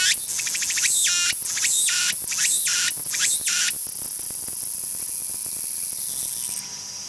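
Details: Tsukutsuku-boshi cicada (Meimuna opalifera) singing, described as calling from the start of its song to the end; a rapid run of harsh, buzzy pulsed phrases repeats about every half second for nearly four seconds, then gives way to a steady, high continuous drone.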